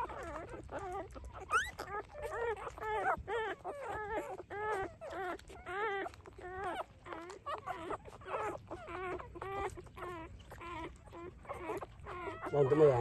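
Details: Three-day-old puppies at the teat cry in a steady, rhythmic series of wavering, harmonic whines repeated roughly twice a second, fairly loud and regular throughout, with a brief burst of louder noise at the very end.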